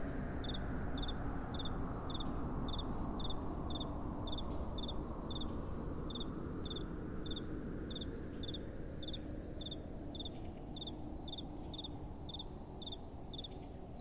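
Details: Crickets calling at night: clear high chirps, each a quick cluster of pulses, repeated steadily about every second over a strong, smooth, low wind rumble that swells and fades.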